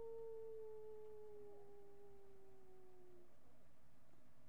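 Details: Marty, a miniature pinscher, recorded on a webcam on July 8, 2011 at 10:56 AM, gives one quiet, smooth, drawn-out howl lasting about three seconds that slides slowly downward in pitch before fading out.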